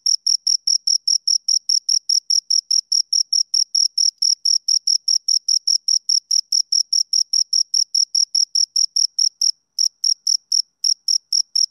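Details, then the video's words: Shrill rapid chirping from two crickets, even high pulses at roughly four to five per second, briefly broken by a short gap near the end before resuming, over silence. "Two Crickets Chirp Sounds"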